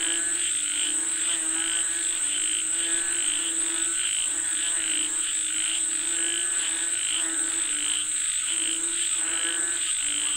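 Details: Chorus of frogs calling for rain: many overlapping nasal, harmonic croaks in rapid irregular pulses, with a constant shrill high tone running underneath.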